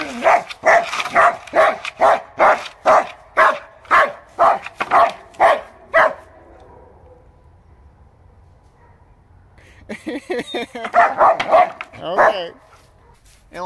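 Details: A German Shepherd dog outdoors at night by a gazebo lit with new string lights in winter, happily attacking a board and barking at it in a steady run of deep, loud woofs, followed by a man talking.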